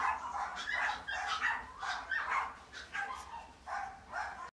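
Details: Female silver dapple long-haired miniature dachshund puppy born in 2018, yapping in short high barks about every half second, some with a whining edge, in a quiet room.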